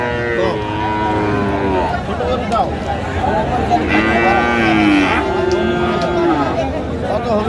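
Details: Lowing from Friesian and crossbred heifer calves at the Raniganj market in Dinajpur, 9 February 2025. A short moo opens, then a fuller, slightly falling moo comes midway, set against busy market chatter and human speech.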